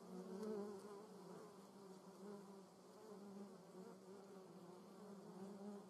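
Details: Buzzing German yellowjackets on a Sony RX10 III recording: loudest at the start as a wasp flies near, then a steady low wing hum with a higher overtone continuing to the end.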